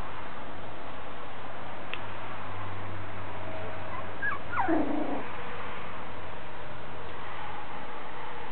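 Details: Five-week-old miniature schnauzer puppies from one litter at a kennel, indoors; a single falling whimper or yip around the middle of the clip, otherwise quiet room hiss with a low hum.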